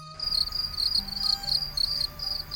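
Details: Cricket calling, the familiar sound of quiet nights in rural Bengal: a steady, shrill, high-pitched trill broken into rapid pulsed bursts several times a second, with faint low music underneath.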